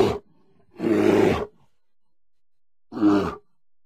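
A bear gives three harsh, throaty growls, the middle one longest, with short silences between.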